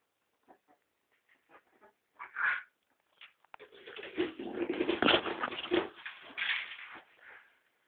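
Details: Pet ferret fighting for food: a few soft scattered clicking chuckles, then a rough, noisy, wavering screech that lasts about four seconds and rises and falls before trailing off.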